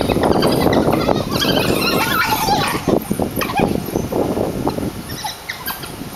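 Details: Captive African wild dogs at the Pittsburgh zoo play-fighting in their pen on a hot summer day, July 2012; rapid chattering squeals and yelps overlap early, then thin out to scattered calls and scuffling.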